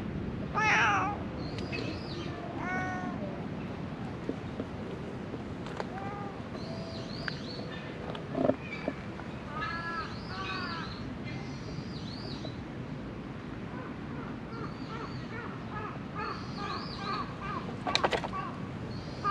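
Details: A stray cat struggling to survive among discarded garbage meows repeatedly. The cries are short and rising-falling, some thin and high, and come at irregular intervals over low background rumble, with a couple of sharp knocks.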